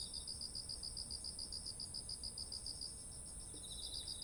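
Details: Insects singing in autumn next to ripened rice paddies: a fast, even train of pulsed chirps over a continuous high-pitched ringing drone, with a fainter second chirper joining near the end.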